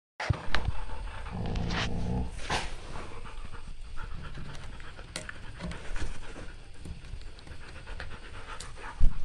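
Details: A Siberian Husky makes breathy, heaving, sob-like panting sounds, seemingly crying after being scolded by its owner for misbehaving.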